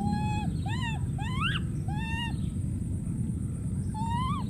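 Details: Young wild monkey calling for a companion: clear tonal coos that rise and fall, some sweeping sharply upward, in quick succession over steady low background noise.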